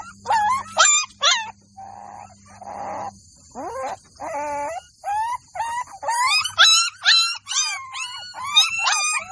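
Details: Golden Labrador puppies in a village give high, squeaky yelps and whines, faint and broken at first, then a rapid run of bright rising-falling squeals about twice a second, with a low steady hum underneath early on.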